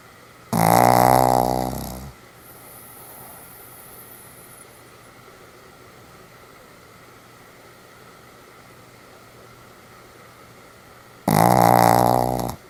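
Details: Sam the Pomeranian sleeping soundly, recorded 1 November 2015: two long, harsh snores of about a second and a half each, nine seconds apart, with near silence between them indoors.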